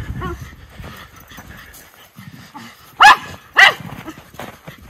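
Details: Two Miniature Schnauzer brothers playing outdoors in snow in winter; two sharp, loud barks about half a second apart near the end, with a person's laughter and faint talk earlier.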